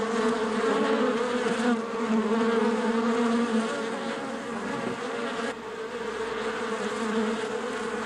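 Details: Bees in a hive: a dense, steady drone with a low hum and a stronger buzzy tone above it, shifting slightly in pitch and loudness across the whole stretch, with no other sounds.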